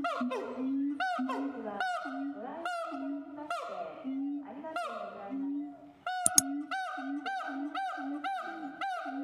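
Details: Siamang calling in a rapid, dense run of rich harmonic barks and short upward-sweeping notes, closely spaced with uneven rhythm, with one sharp click partway through.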